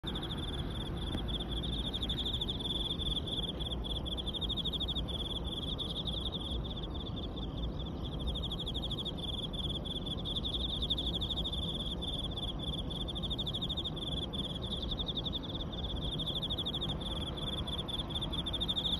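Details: Chorus of Emma field crickets along the Yamato River embankment in Osaka, Japan; dense, continuous high chirping from many insects, steady throughout, over a constant low rumble of background noise.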